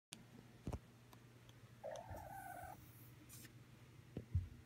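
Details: Domestic cat giving a short mrrp, one mid-pitched rolled chirp lasting under a second with steady overtones, set against a low indoor hum and a few scattered clicks and knocks.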